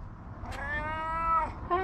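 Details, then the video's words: Guttural-voiced tabby cat, said to be hungry, lets out a long meow rising slightly in pitch over about a second, preceded by a short click and followed by the start of another meow. "Tabby cat with a booming and guttural voice meowing"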